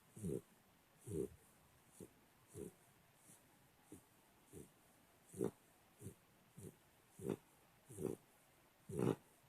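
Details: Three-month-old American Pit Bull Terrier puppy snoring while asleep indoors, soft low rasping breaths repeated roughly every 0.7 to 1 second, some louder than others, over quiet background hiss.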